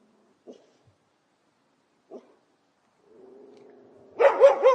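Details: Dog recording opening with a couple of faint, brief knocks, then a low whine building for about a second before a burst of loud, rough barks at the end.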